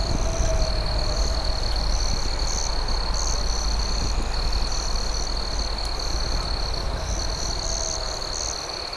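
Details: Crickets trill steadily at night in a high, shimmering chorus beside a crackling campfire, over a low, rumbling background.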